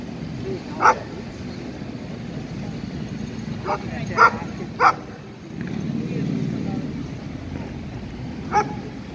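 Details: Playful barking comes from an 11-month-old Irish Wolfhound and an Italian Mastiff meeting at a park for dogs. Five scattered, sharp barks sound with irregular pauses over a steady low background of voices.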